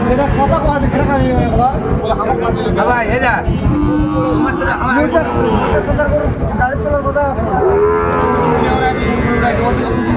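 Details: Busy end-of-day cattle market on 27 December 2024 where traders buy Sahiwal bull calves; several overlapping moos and bellows rise and fall over crowd chatter and haggling voices.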